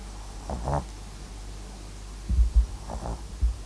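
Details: MAX, a sleeping Papillon and Japanese Chin mix dog, snoring softly indoors: two short rattling breaths, one near the start and a pair after a pause, over a low steady hum.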